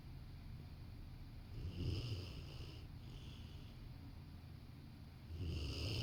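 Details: Napping Rottweiler curled up on a sofa by a working person, two deep rasping snores about three and a half seconds apart, low and throaty with faint airy hiss, in a quiet room.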